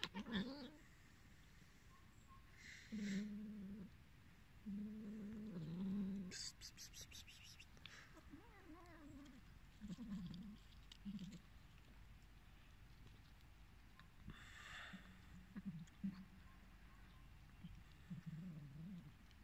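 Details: Abandoned, hungry cats giving low, drawn-out moaning meows, several in separate bursts across twenty seconds, with a brief rattling clatter midway and soft background noise between calls.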